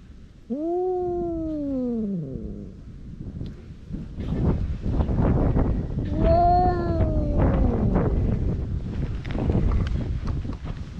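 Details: Stray cats squaring off in a fight: two drawn-out, wavering yowls. The first falls away after about two seconds; a second rises and sags near the six-second mark, with rustling and wind noise between them.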